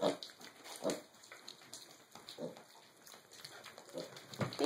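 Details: Young mini pigs, six and a half weeks old, sharing a last breakfast with their siblings: short, soft, low grunts scattered among chewing and clicking feeding noises.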